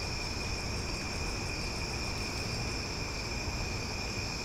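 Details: Cicadas calling loudly after dark in Omaha, an even, sustained high-pitched drone with stacked shrill tones, a faint pulsing in the highest band, and low background rumble.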